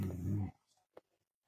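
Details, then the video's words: Pet dog grumbling while arguing with its owner over the owner's plate of food; a low, rough, harmonic growl lasting half a second, followed by silence and the owner's voice. "cute dog arguing with its owner"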